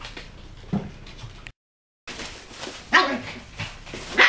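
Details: West Highland White Terrier puppies in a small room, tricks and threats: a brief break in sound, then sharp high yipping barks, two or three loud bursts about a second apart, with soft scuffling between.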